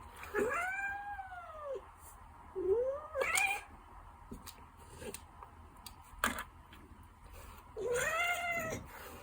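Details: Gentle Ragdoll cat meowing indoors. Three clear arched meows rise and fall, with a short chirpy call and a few clicks and knocks between them.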